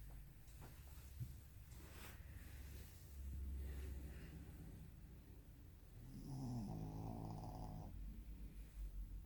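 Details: Shih Tzu named Ojikō-chan snoring: faint low rumbling breaths, then a louder nasal, buzzy snore lasting about two seconds near the end, over a quiet room hum.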